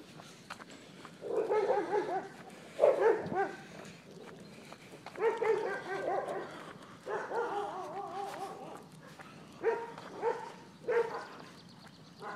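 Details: Sheba, a German Shepherd out on a walk, gives a string of loud, tonal barks and yelps in clustered bursts over twelve seconds, some drawn out and whiny, with short quiet gaps between groups.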